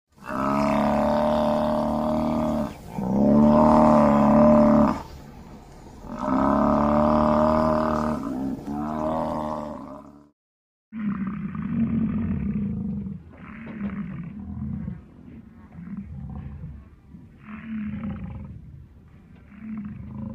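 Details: Buffalo growling: long, loud, droning harmonic growls lasting two to three seconds each, then a run of shorter, deep grunting pulses repeated about every second.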